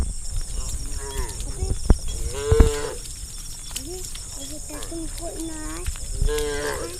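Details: Herd of hundreds of tame cows running together along village forest interior roads; several short harmonic moos overlap from different animals, with dull thuds and steady background noise underneath.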